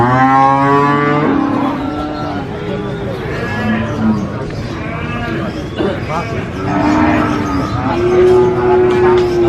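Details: Qurban sacrificial cows at a livestock market give long, droning, harmonic moos, one at the start and two more near the end. Crowd noise and murmuring voices fill the gaps between calls.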